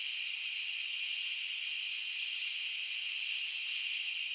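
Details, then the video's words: Crickets chirping in a dense, unbroken chorus: a high, shimmering trill stacked in several steady layers that never pauses, with no other animals, voices or music. "Cricket Sounds for Sleep and Relaxation"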